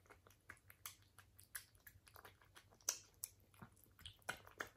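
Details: British Shorthair cat eating, with crisp, irregular crunching and chewing clicks, a few louder sharp bites near the end, over a steady low hum.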